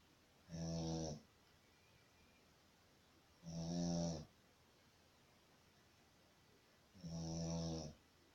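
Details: Sleeping Shih Tzu snoring indoors: three rough, harmonic-rich snores spaced about three seconds apart, each lasting under a second, with quiet breathing gaps between.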